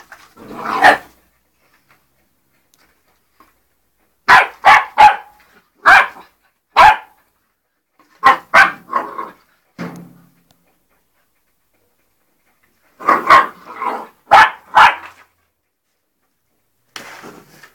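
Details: A 3-month-old English Springer Spaniel barking while playing with ferrets: loud, sharp barks in tight clusters of two to four, separated by silent gaps of a few seconds, with one lower growl-like sound near the middle.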